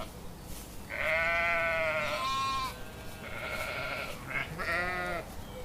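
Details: Sheep bleating in a run of calls: a long steady cry, a softer follow-up, then a short wavering bleat, against a mild background hiss.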